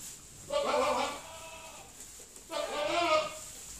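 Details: Pedigree dairy goats relaxing in their shed in October; two drawn-out, nasal bleats about two seconds apart, each wavering slightly, over a quiet indoor background.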